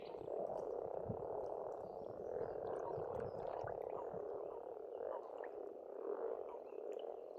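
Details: Pond frogs calling together on an Estonian farmstead in spring: an unbroken, buzzing mass of croaks rising and falling in loudness, with faint scattered chirps and low knocks behind.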